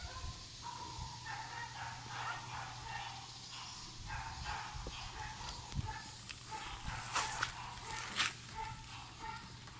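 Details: French Bulldog puppies born on 14 July 2018, awaiting new owners; a run of soft, high, tonal whimpers and squeaks repeats through the stretch, with a steady low hum underneath and a few sharp clicks near the end.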